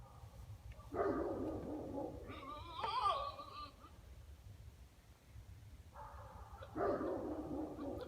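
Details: BB-8, a domestic buck goat, at 7:42 p.m.: harsh broadband rasping bursts about a second long, a wavering tonal cry in the middle, then another pair of rough bursts near the end, with quiet low background hum.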